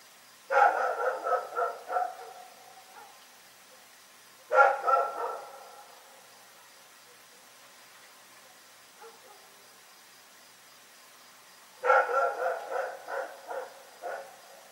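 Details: Night barking from Rex, a dog: three bursts of quick, ringing barks in strings of four to six, spaced by quiet pauses of several seconds, with a faint single bark in between.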